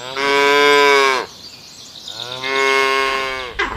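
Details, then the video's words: A cow gives two long, rich moos, each about a second, separated by a short pause, the second dropping slightly at the end, on a farm in open countryside. "The Cheerful Sounds of Farm Animals : Cow"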